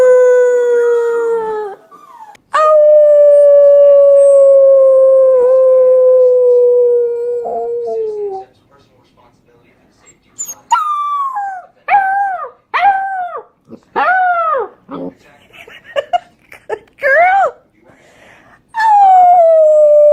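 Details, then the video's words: Puppies learning to howl: a long steady howl around two seconds, then a sustained six-second howl slowly falling, followed by a series of short rising-and-falling yelping howls and a final held howl. "Cutest Puppies Learning to Howl"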